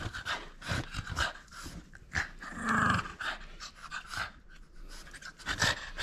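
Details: French Bulldog at play, refusing to give up its toy: rapid, noisy panting breaths in irregular bursts, with a short tonal whine-like sound near the middle.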